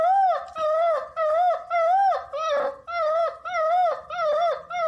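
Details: Puppies howling in a compilation, high wavering howls with strong harmonics repeated in steady bursts about every half second, each rising then falling, with brief gaps between.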